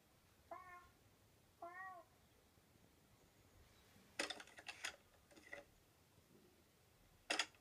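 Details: Rosie the cat, watching the Simon's Cat cartoon indoors, makes two short arched meows about a second apart, followed by bursts of hissy, scratchy cartoon noise and a final sharp broadband sound.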